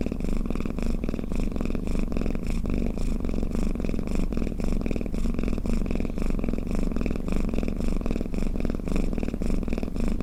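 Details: Close-up purring snore of a pet cat, a deep pulsing drone that never breaks, with slight rises and falls in loudness as it breathes; the room is otherwise quiet.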